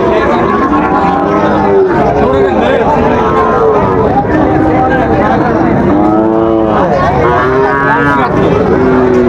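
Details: At Raniganj livestock market in Dinajpur, 9 September 2024, Sahiwal bull calves low amid a busy crowd. Scattered moos build to a strong, rising-then-falling bellow about two-thirds through, followed by another drawn-out call, with constant chatter underneath.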